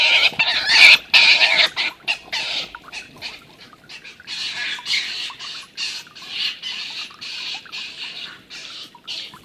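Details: Stone marten fight between the older, larger Milton and the young Martin, who is being chased off. Harsh screeching chatter starts loud, then continues as a quieter, rasping run of repeated calls.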